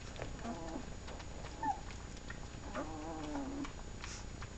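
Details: Seven-day-old puppies of a litter, nursing at their mother, whimper in soft, mewing whines with one brief high squeak between them.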